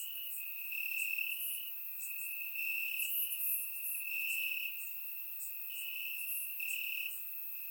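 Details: Several crickets calling from the grass in Bulgaria on a warm summer night, captured by a surround microphone; a continuous high-pitched trill swells and fades in waves, with scattered sharper chirps layered over it.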